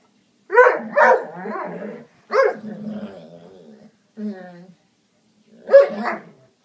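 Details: Foxhound and springer spaniel mix dog growling and barking at a couch for no reason: sharp barks in pairs, then a long low rumbling growl, a short growl, and a final loud bark, with silent gaps between.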